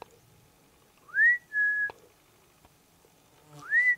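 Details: Marmot in Liptov, Slovakia, giving clear high whistles: two rising-then-level whistles close together, a pause, then another rising whistle, with faint clicks between them in an otherwise quiet setting.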